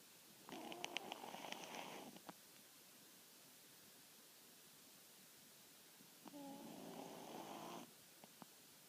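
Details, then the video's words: Pet dog named Maaru snoring: two rasping, harmonic snore breaths, each about one and a half seconds long and spaced roughly five seconds apart, with near silence in between. "いびき犬 まある"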